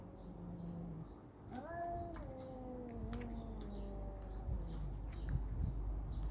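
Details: Cat in a fight giving a sustained, sliding yowl that rises sharply and then sinks slowly over about three seconds, with low growling before it and faint rustling around it.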